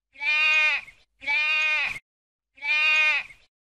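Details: Sheep bleating three times, each a wavering, nasal baa under a second long, the first two close together and the third after a pause; no other sounds.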